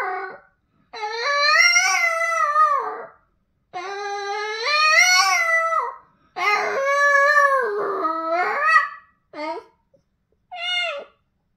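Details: Boston Terrier. A Boston Terrier howls in drawn-out, mournful notes, each swelling and bending in pitch over two seconds or so. The song ends in a few short, higher whines with brief pauses between them.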